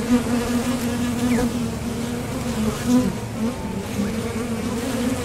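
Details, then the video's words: Continuous hum of honeybees leaving and landing at a top bar hive entrance on foraging flights for nectar, a low droning buzz with brief louder swells as single bees fly near. "Bees Sound Effects | WHITE NOISE | RELAJANTE Sonido de las Abejas"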